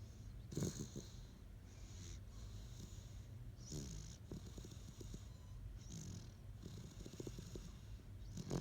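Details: A sleeping Great Dane snoring softly, low rumbling breaths returning roughly every one and a half to two seconds, each with a faint breathy hiss, in a quiet room.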